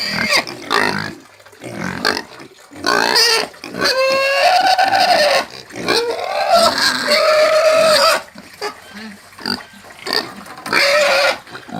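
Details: Domestic pig squealing in repeated harsh bursts, some long and drawn out with a wavering high tone, others short and choppy, separated by brief quiet gaps.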